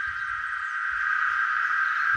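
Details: A cicada sings loudly by a beach with barbecue kiosks on Ilha do Sol, Paranapanema, São Paulo, Brazil: one continuous buzz at a steady pitch without pause, over faint low rumbles and some handling noise.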